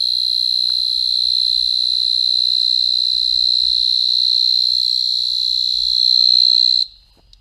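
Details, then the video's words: A cicada in an Asian tropical forest at night gives a loud, steady, high-pitched buzzing drone, recorded on the spot, that cuts off abruptly. "The Loud Sound of a Cicada. Asian Tropical Forest Night Walk."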